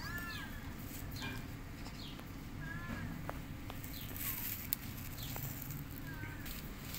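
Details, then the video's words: A lone kitten that has jumped out of a hut calls with several short, arched meows, sometimes in quick pairs, mixed with frequent thin downward bird chirps over constant low-pitched outdoor noise. "Kitten Meowing Loudly And Left Alone When Jumped Out Of Hut"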